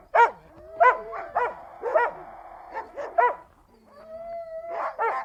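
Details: Siberian Huskies vocalizing: widely spaced harmonic barks roughly every half second over a sustained steady howling tone, then a long level howl before barking resumes.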